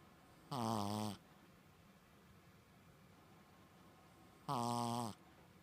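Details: Colon the Shih Tzu, a staff dog, asleep and snoring like a person; two strong, rough harmonic snores about four seconds apart, each lasting around 0.6 seconds, in a quiet indoor room.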